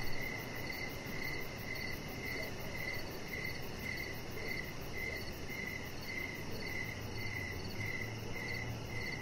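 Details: Chirping crickets on an evening deck: regular short pulses repeated about twice a second, a higher faint insect shimmer above, low rumbling noise and a soft hum near the end.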